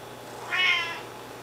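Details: Siamese kitten meowing while two Siamese kittens, Einstein and Felix, eat raw food they have had since six weeks old; one short, clear, harmonic-rich meow lasting about half a second, rising then falling, over a faint steady indoor hum.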